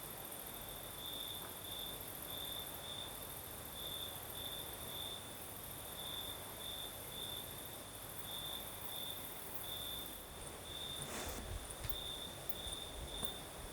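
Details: Crickets chirp through a breezy night in the south of Crimea, their high pulsed trills repeating steadily over a shrill hiss, broken near the end by a short broadband rustling burst.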